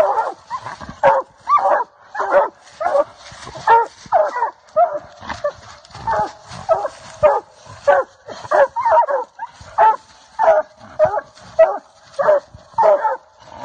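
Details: Coonhound on a South Carolina coon hunt, treeing a raccoon: steady run of loud, hoarse chop barks about every half second, some doubled, continuing without pause. Faint voices in the background.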